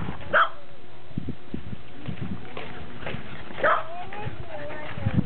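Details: Cairn Terrier, recorded 29 October 2006 alongside a Welsh Corgi, gives two loud, abrupt barks about three seconds apart, with people talking quietly in between.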